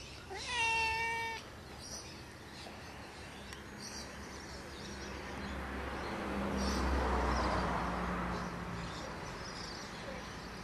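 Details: Family pet cat answering its owner calling it, giving one clear, drawn-out meow that is steady in pitch with rich overtones. Quiet room noise follows, with a low rumble rising and fading later.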